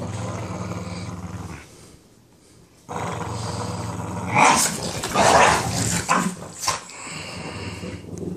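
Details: A Boston Terrier playing tug of war growls in low, rumbling bursts that swell into louder, rougher snarls. Finding: Boston Terrier.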